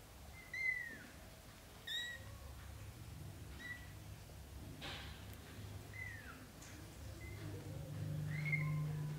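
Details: British Shorthair kittens, black golden and blue golden, let out onto the floor by their mother to practise walking; thin high mews sliding downward, scattered irregularly, with low room hum and a few soft knocks.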